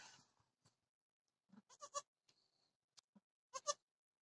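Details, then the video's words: Dwarf goat giving birth to triplets on 26 October 2020, indoors; several short, high, nasal bleats in quick pairs near the middle and end, separated by quiet stretches with faint rustling. "parto cabra enana. trillizos pequeñajos!!"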